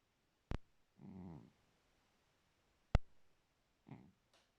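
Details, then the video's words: Sleeping house cat giving one low, rumbling snore followed later by a shorter, softer one, interrupted by two loud sharp clicks or taps nearby in a quiet room. "ma copiiiiiiine ronfle"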